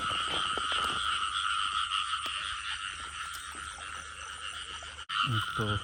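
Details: Frogs heard while people are out searching for them: a dense, steady chorus of droning trills at two high pitches, with scattered clicks and rustles, and a brief break and thumping near the end.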